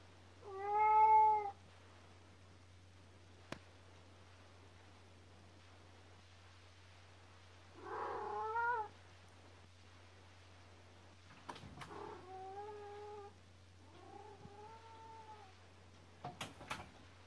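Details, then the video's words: Youngest cat of the household, called Kkomaengi, crying indoors before dawn in 2019: four drawn-out, harmonic meows with gaps of silence, the first loudest, plus a few clicks and a steady low hum. "울집 막내 고양이 꼬맹이 울음소리 The youngest cat in my family's house cries"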